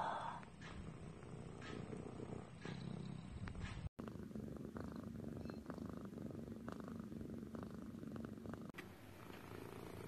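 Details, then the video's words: Low, continuous rumbling purr from a pet cat across two spliced sections, the vibration fairly even with no clear breathing cycle, over a grainy, hissing background. "Cat purring compilation"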